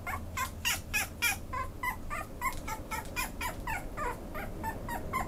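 A Pomeranian gives a rapid run of high, thin yips and whimpers, several each second.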